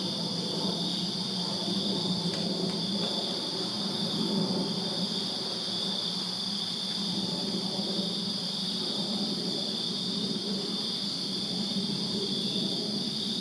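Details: Constant high-pitched cricket trilling fills a Virginia backyard on a summer night, several overlapping bands held steady, with a soft low rumble beneath and a couple of faint clicks early on.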